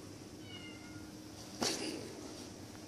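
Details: Bengal kittens sparring in play indoors at a pet shop in Kuching, Sarawak, Malaysian Borneo; a thin, faint falling meow with clear overtones, then one sharp breathy hiss-like burst, over a steady low room hum.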